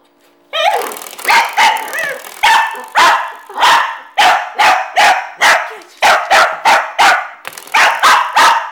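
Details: Household dog that hates the door stopper spring barks steadily after a brief spring twang, with about fourteen loud, rough barks spaced roughly every half second, some doubled, continuing without pause.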